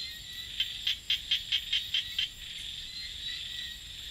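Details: Small frog calling at night in rice fields, a quick run of about eight sharp, clicking pulses packed into under two seconds, then quiet, all over a steady high-pitched insect chorus.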